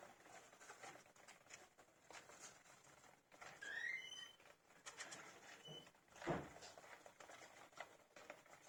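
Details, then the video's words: Many 15-day-old young hamsters, eyes newly opened and already eating on their own, kept indoors: a quick burst of thin, high, rising chirps, then one lone squeak a moment later, over constant rustling and scratching of bedding and a single dull thump. "Hamsters chirp loudly."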